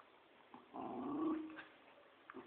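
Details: Tug of war between a Poodle and a Dobermann: a single sustained, low, throaty growl of about one second that swells and fades, followed by quiet scuffling.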